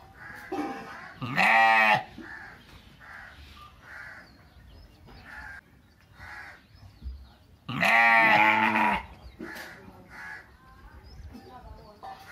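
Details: Three village sheep bleating: two loud, wavering bleats of about a second each, roughly six seconds apart, with softer shorter bleats and murmurs from the others in between.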